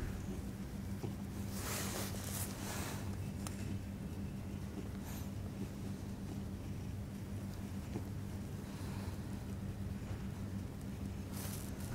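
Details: Steady low hum with wind rumble and a few broad bursts of noise, possibly a passing vehicle, with no animal voice heard.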